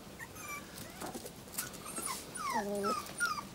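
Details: Thin, falling whimpers from 38-day-old Tibetan Terrier puppies, several drawn-out whines sliding downward in pitch, one after another, over light rustling in a small room.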